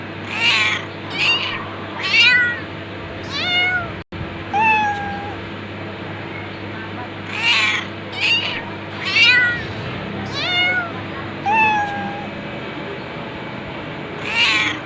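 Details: Series of about twelve cat meows over fifteen seconds, irregularly spaced, mixing short bright mews and longer wavering cries, with a steady electrical hum underneath and a brief click near the middle.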